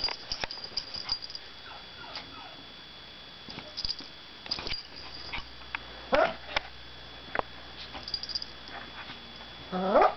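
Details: A dog named Izzy makes funny noises, with short rising whine-like yelps and rough growly bursts scattered across the clip, some clicks and faint background hiss, louder squeal near the end.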